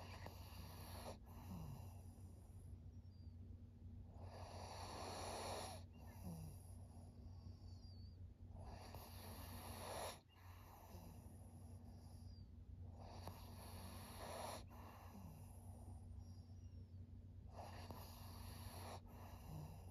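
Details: Maria, an aged fawn female pug of 13 in Japan, recorded in September 2023: a regular run of wheezy, snuffling breaths roughly every two and a half seconds, each a harsh airy rush, over a low continuous hum.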